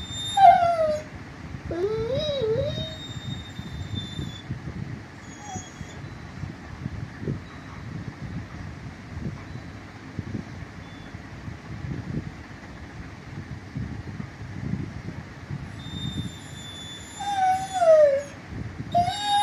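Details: Dog making a funny whistling sound: thin, wavering whistle-like whines rising and falling at the start, a long quiet stretch with only soft low rumbling, then more high gliding whistles near the end.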